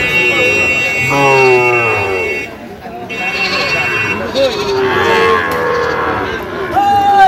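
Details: Sahiwal breed bull calf at the Ambari cattle market, Cumilla farmers buying, 1 September 2025; a low, steady moo lasting over a second near the start, then voices talking and haggling, with a high tonal hum throughout.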